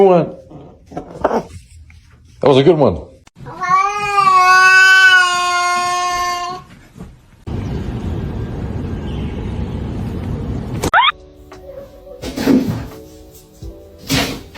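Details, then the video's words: Cat producing a long, loud, sustained meow of nearly three seconds, rich and steady with a slight wobble, amid bursts of human speech, a stretch of rushing noise and a few sharp clicks. "cats meowing"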